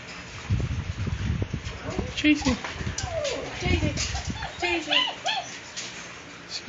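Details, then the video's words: Puppies at milk time at a breeding kennel, recorded February 24, 2014: high arching whines and squeaks repeated in quick succession, mixed with low thumping and shuffling noises. "Milk Time"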